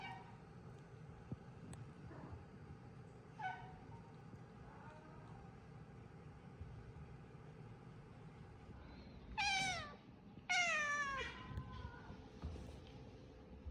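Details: Cat at a Japanese shelter housed in a closed-down school, giving two loud, sharply falling meows in quick succession near the end after a quiet stretch of faint, low room hum.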